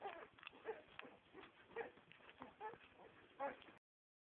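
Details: Nine-day-old Staffordshire bull terrier / bull terrier puppies giving short, thin squeaking whimpers at irregular intervals, mixed with rustling handling noise and a person speaking Dutch nearby; sound cuts off abruptly near the end.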